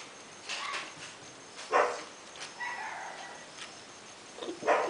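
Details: Red toy dog, a male puppy 55 days old, giving short high whines and yips in scattered bursts, a few brief squeaks spread over several seconds against a quiet room background.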